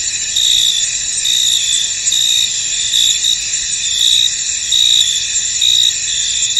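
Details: Chirping crickets fill a fog-covered field with high, layered trilling. Louder pulses come at a fairly quick, uneven rhythm, a little more than once per second.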